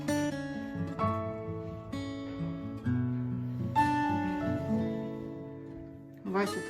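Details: Slow plucked guitar chords ring out and fade, with no animal voice.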